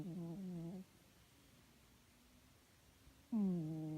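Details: Domestic pet cat snoring while asleep indoors: two soft, nasal, tonal snores, each under a second and sliding slightly in pitch, separated by about two and a half seconds of quiet breathing in a still room.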